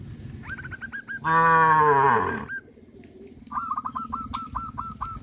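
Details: Cows herded by a farmer along a countryside road; one loud, deep moo lasting just over a second, with rapid repeated bird chirps before and after and a low background rumble.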